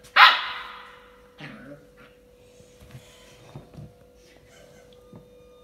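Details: Golu, a 45-day-old female Saint Bernard puppy, playing with a toy: one sharp, loud bark at the start, then soft scuffling and faint thumps of play over a steady low electrical hum.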